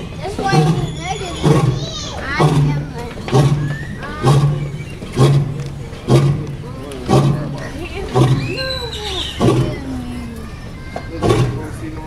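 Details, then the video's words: A male lion at Fort Worth Zoo, Texas, gives deep, throaty roars or coughs from inside his enclosure, repeating about once a second and heard throughout the zoo, with people talking over them. "Lion Roaring"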